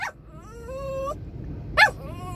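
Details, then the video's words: Male poodle crying in a moving car after being told to sit by himself instead of on the driver's lap: thin, tonal whines that rise and hold, then a sharper yelp-like cry, over a low engine rumble. "Crying Poodle"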